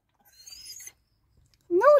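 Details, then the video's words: Lucy, a dog in a car barking at dogs outside, scolded to stop: a faint high whine early on, silence, then one loud rising-falling bark at the end. "Lucy barking in the car"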